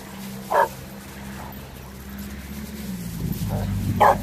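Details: Dogs at play on Thanksgiving Day 2018: Renascence Bulldogge puppies Rekkr and Magi romping with a Blue Bay Shepherd and a German Shepherd. Two short, sharp barks about three and a half seconds apart over a steady low hum and faint background noise.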